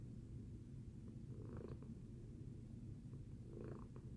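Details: After breakfast, Tacy the cat purrs in a continuous deep hum, two gentle breathy surges standing out around the middle and end of the short stretch.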